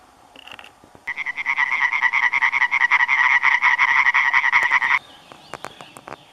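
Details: European tree frog, close-up, in a large group among plants one to two metres high; one loud rapid cackling call of evenly pulsed, nasal notes for about four seconds, with fainter calls before and after.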